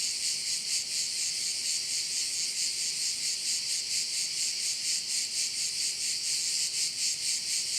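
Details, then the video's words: Chorus of crickets at a bay in Korčula, a bright shrill buzz throbbing in regular beats of roughly two per second, continuous throughout with no other clear sounds. "View of one of the bays in Korcula with sounds of crickets"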